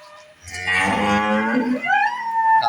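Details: Holstein Friesian dairy cow at a farm in Bangladesh, one loud sustained moo that rises and then holds a steady higher tone.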